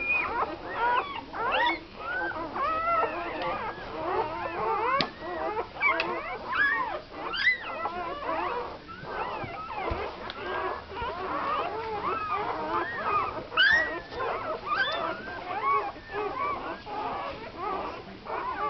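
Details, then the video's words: Newborn American Staffordshire Terrier puppies on their first day, from a litter of nine (seven females, two males) born to a first-time mother on Christmas Eve 2009; many overlapping high squeaky whimpers and squeals, rising and falling, continuous throughout. "NewBorn Puppies Day 1"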